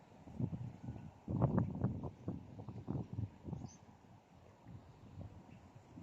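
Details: Beauty the cat coughing: a fast run of short, low, husky hacking bursts, roughly four a second, strongest just after the first second, then tapering into softer breathy pulses toward the end.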